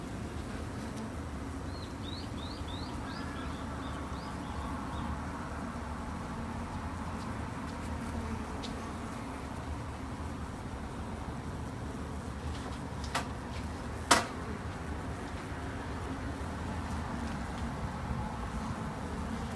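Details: A low, continuous hum comes from a colony of Japanese honey bees kept at a home garden hive for conservation. A short run of high bird chirps comes early on, with a couple of sharp knocks later.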